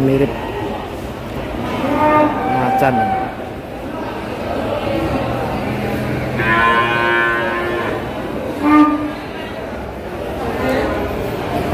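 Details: Cattle at the Kliwon cattle market in Kudus, coming down from a truck, one with unusual colouring likened to a white tiger; drawn-out, harmonic-rich lowing rises above a steady din of music, chatter and market noise.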